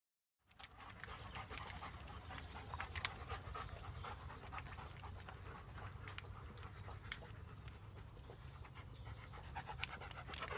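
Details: German Shepherd from a pack, panting in quick, steady, soft breaths through the whole stretch, with a faint low hum beneath and a few light clicks and knocks.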